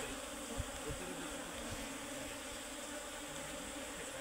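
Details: Swarm of Asian honey bees, locally called Serena bees, nesting inside a tree during a honey harvest; continuous thick humming drone with a few soft thumps near the start, and quiet speech in the background.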